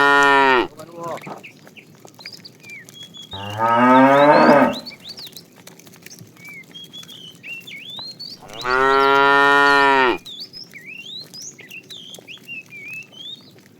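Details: Calves of a herd driven out in the morning to look for food, calling repeatedly: three strong harmonic moos roughly four seconds apart, each about one to one and a half seconds, with chirping and whistling birds between.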